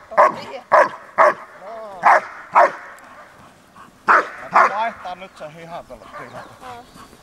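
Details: German Shepherd named Horna, in training and biting the sleeve for the first time, gives loud sharp barks in a quick burst, about two per second, then pauses and barks twice more. Human voices and trailing whines follow.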